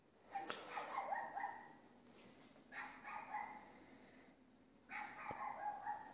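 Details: At 22:30 on 18 May 2021 a neighbour's dog across a street in Castelldefels, Spain, barks at night: three separate bursts of yelping, whining barks roughly every two seconds, over a steady background hum.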